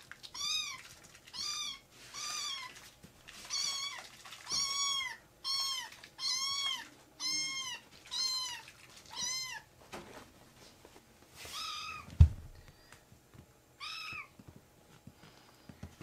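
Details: Rescued foster kittens indoors, jumping onto a man's leg, give a steady run of high, arched meows, about one every 0.6 seconds at first, then sparser cries after a pause with a soft thump near the end.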